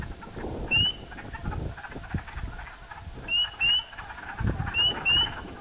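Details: Chorus of spring peeper frogs near Sudbury, Ontario, Canada, late evening on April 5, 2010, during unusually warm weather: sharp rising whistled peeps in pairs and triplets over low rumbling background noise.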